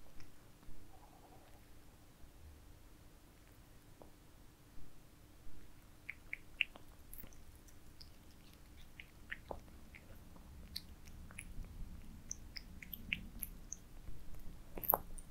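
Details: Cats eating towers of minced meat indoors, recorded for ASMR: scattered wet clicks and smacking chews, sparse at first and then quicker and denser toward the end, over a low steady room hum.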